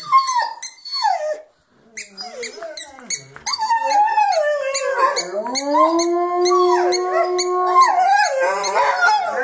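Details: Multiple Rhodesian Ridgebacks singing together: early short yelps and whines, a moment of silence, then building group howls that slide upward and hold long, steady tones near the end, layered voices overlapping, with a faint ticking in the background.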